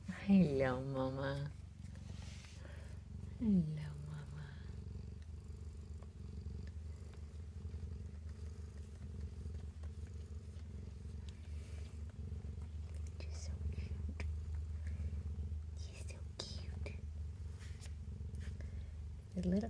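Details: Mother cat nursing her kittens in a cabinet, purring steadily; a deep rhythmic rumble fills most of the recording, while a woman's cooing voice appears at the start, once more early on, and again at the end.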